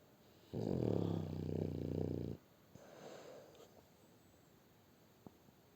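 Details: Snoring French Bulldog called Shturm: a loud buzzy inhaled snore lasting nearly two seconds, then a softer breath and a faint click, room otherwise quiet.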